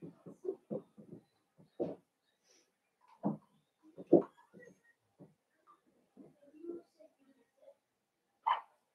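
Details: Young blenheim Cavalier King Charles Spaniel puppies from a litter of five, kept in an indoor pen, giving a quick run of short squeaky yelps and whines, then a few sparser cries and one higher squeal near the end.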